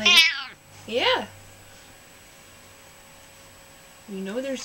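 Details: Hermy, a gentle but sassy pet cat known to complain loudly when upset, indoors: three harmonic meows at the start, middle and end, the first sharp and high, the others lower and drawn out, with quiet gaps between.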